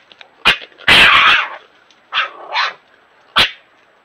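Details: Red Fox squabbling with a European Badger at night in Ireland, caught on a trail camera; the badger stays very patient. Harsh, raspy bursts and short yelps come in separate outbursts, one long grating snarl near the start, then shorter barks.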